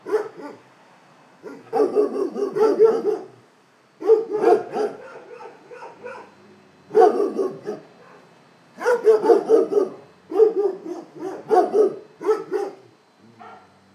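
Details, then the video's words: Multiple dogs barking in repeated bouts of rapid overlapping barks, each bout a second or two long, separated by short near-silent pauses. "Szczekanie psów"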